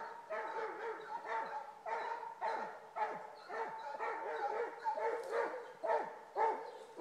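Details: Two Basset Hounds bay while trailing a rabbit, their deep, ringing voices repeated about twice a second.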